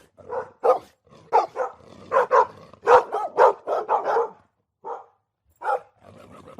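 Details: Dogs fighting: loud, rough barks and yelps in irregular bursts, some clustered in quick runs and others separated by short silent gaps, with a faint lower growl between them.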